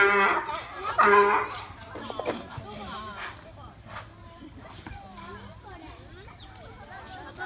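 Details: Donkey at Oji Zoo calling loudly after a sudden run; two harsh honking brays open the recording, then the braying fades into quieter background murmur and faint voices.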